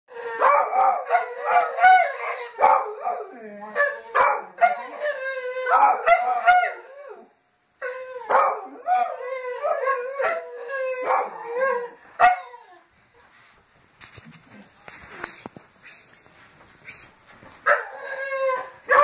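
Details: Several Petit Basset Griffon Vendéen dogs greeting the neighbours with overlapping, wavering howls that rise and fall in long drawn-out phrases, breaking briefly mid-way, then fading to quieter scattered sounds before a final howl returns.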